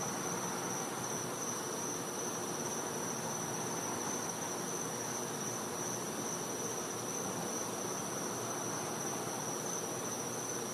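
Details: Night-time cicada sound from a Floridian home's back yard in winter: a constant high, piercing tone running without a break, layered on steady rushing background noise.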